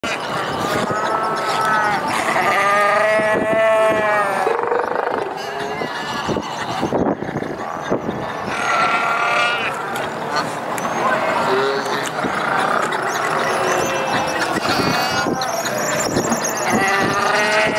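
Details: Wild fur seals on rocky stones call over one another in hoarse, bleating roars, some wavering and drawn out, with background noise.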